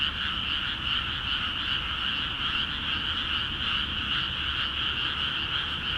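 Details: Frog chorus from flooded rice fields of Akiha Ward, calling actively once water enters; fast, throbbing croaks form a bright, even band with a lower companion tone, steady throughout, low rumble underneath.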